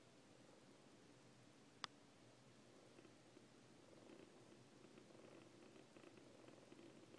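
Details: Two Siamese foster kittens, Coco and Lache, purring softly: a steady, low, rumbling purr runs throughout, with one sharp click just before the two-second mark.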